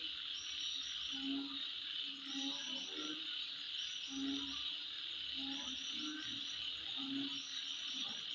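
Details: Insects calling at midnight: a steady, shrill high-pitched drone with short repeated higher chirps, over low croaking notes roughly every second.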